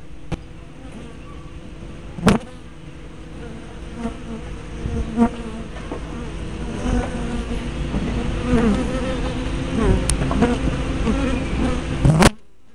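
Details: Hive entrance on 24 May 2012, recorded by a spy camera with a fisheye lens: honey bees buzz in a dense low drone that swells gradually, punctuated by several loud knocks and clicks, ending abruptly.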